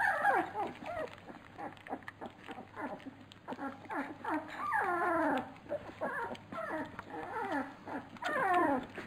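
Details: Labrador Retriever puppies crowding at feeding time, giving a steady chorus of descending whimpers and thin squeals, several overlapping, with clicking and lapping noises in the background.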